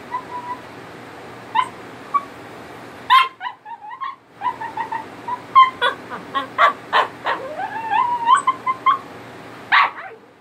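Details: Italian Greyhound singing to get attention: a run of rapid high yips and whimpers, then a rising, wavering whine sliding upward, calls tumbling over each other for several seconds over a faint steady hum.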